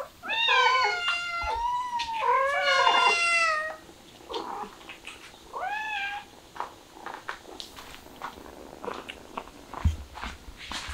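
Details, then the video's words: Mother cat with her kittens, a street cat: loud, drawn-out meows with rich stacked harmonics, two long calls in the first four seconds, then a shorter rising-falling meow near six seconds, followed by soft rustling and quieter sounds. "어미 고양이의 끔찍한 자식 사랑"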